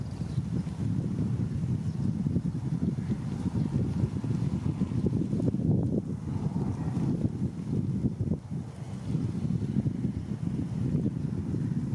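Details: Only low, rumbling wind noise buffeting the microphone is heard, with no animal calls.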